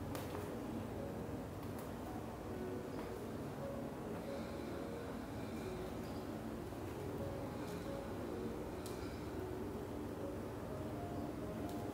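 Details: A steady indoor hiss and low rumble with faint tonal hum and a few soft clicks throughout. No animal call can be picked out.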